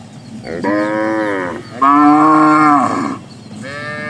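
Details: Several tame cows in a herd on broad green rice paddies on a morning, calling back and forth while grazing. Two long, rich, steady moos of about a second each, followed by the start of a third.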